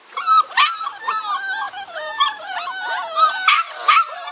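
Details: Six-week-old bulldog puppies kept in a pen, wanting to be let out, giving continuous overlapping whines and yelps, some wavering and howl-like, with a few sharper barks.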